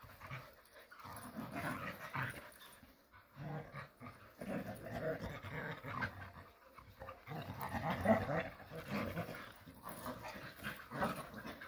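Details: Several Jindo dogs playing happily together in the countryside, giving rough panting breaths and low growly bursts in irregular clusters, with short pauses between rounds of play.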